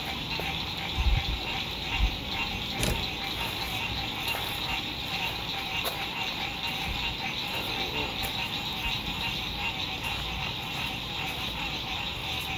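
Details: Frogs singing at sunset beside a lake at a lakeside RV campsite in spring 2021, in fine weather: a dense, steady chorus of high trilling voices with scattered knocks and clicks, and low road noise underneath.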